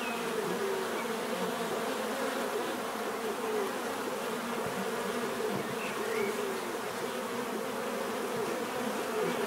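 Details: Bees fill the air with an even, low humming drone, many buzzing insects overlapping, with occasional brief individual buzzes swelling and sliding past the steady background murmur.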